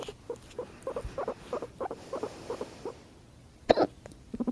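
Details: Pet guinea pig purring as its owner hiccups: quick runs of short, evenly spaced vibrating pulses, broken by a sharp, sudden hiccup-like burst, then more pulses.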